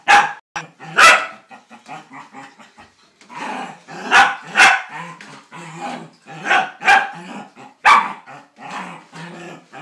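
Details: Playful Scottish Terrier tackling a laundry basket, mixing rough, snarly growling with scattered sharp barks, some in close pairs, throughout the recording.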